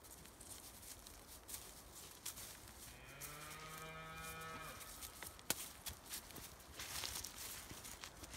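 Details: Highland cattle, a Scottish breed raised outdoors on a Finnish farm among forest and meadow: one steady, mid-length moo of under two seconds rises from a hissy, rustling background with scattered clicks and knocks.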